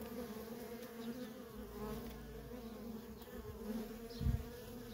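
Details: Worker honey bees in nonstop traffic at a feral colony, making a steady low droning hum with a second, higher hum layered above it. The hum holds level throughout, with a brief louder thump near the end.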